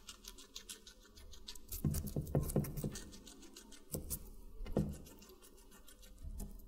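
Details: A guinea pig munching watermelon indoors. Faint rapid nibbling gives way to bursts of juicy crunching, with two heavier bites standing out, then light chewing resumes.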